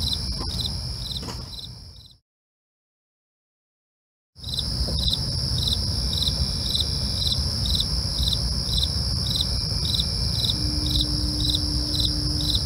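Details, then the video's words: Crickets at night chirping in short pulsed bursts about twice a second over a steady high-pitched insect drone and low rumbling background, with a complete two-second break in the sound early on. "night crickets asmr for you, can't sleep? try to relax with our real sound"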